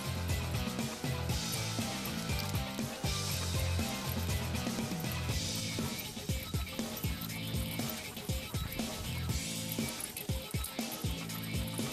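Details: Background music with a steady rhythmic beat and layered instruments plays throughout, with faint speech and no animal sounds.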